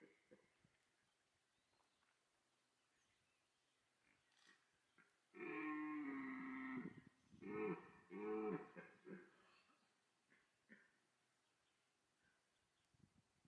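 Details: Red deer roaring in the autumn rut at Parc Sainte-Croix, a call that draws females; one drawn-out guttural bellow with a falling tone, followed by several shorter grunting roars, over faint rustling and background noise.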